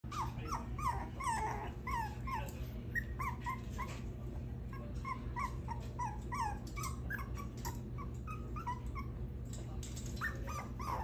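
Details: Six-week-old puppy escaping from its cage, giving a steady run of short, high, upward-curving whimpers and squeaks, several per second, over a constant low hum.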